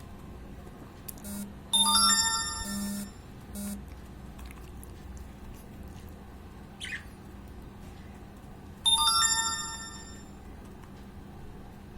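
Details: Two bursts of an electronic ringtone melody over room hum and faint indoor noise, with no animal voice. A brief scrape and soft knocks sound between them.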